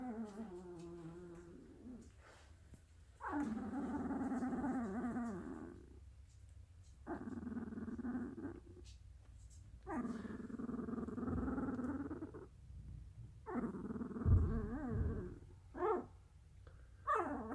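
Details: Dalmatian. A sleeping Dalmatian puppy lets out long, wavering whimpers and low groans, each lasting a few seconds with quiet gaps between. Some breathy snuffles come near the end, all in a quiet indoor room.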